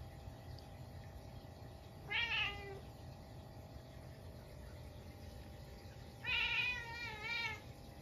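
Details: Indoors on a snowy night, a Munchkin cat reacts to a stink bug that wandered into the house at midnight, giving a short bright meow, then after a pause a louder drawn-out wavering meow and a brief third one, with steady low room hum.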